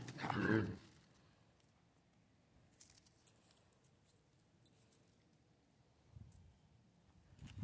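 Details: Central Asian Shepherd Dog, one of four kept outside on a Michigan farm in winter, a mother with puppies in the barn nearby; a single deep, harmonic bark opens the clip, followed by a quiet, snowy outdoor hush with faint rustling.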